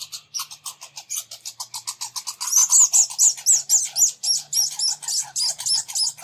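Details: Two red squirrels squabbling at a bird feeder, chasing each other with rapid, high, thin squeaks repeated about four times a second, not getting along.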